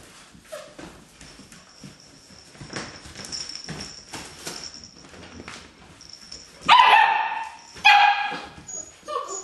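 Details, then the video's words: Puppies playing: after several seconds of soft rustling and scuffling with a steady high tone in the background, two sharp, high-pitched yelping barks ring out about a second apart, followed by fainter yips. "puppies play"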